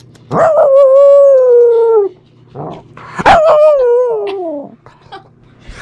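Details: A female Pomsky puppy, Liberty, who howls all day about everything, gives two long, wavering howls that start high and slowly slide downward while "talking" to her sister, a cat.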